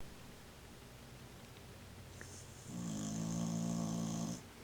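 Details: Old cocker spaniel asleep indoors, snoring loudly enough to be heard through the house: after a quiet start, one long rasping, droning snore with a low buzzy hum and a hissing overtone lasts nearly two seconds, then stops abruptly.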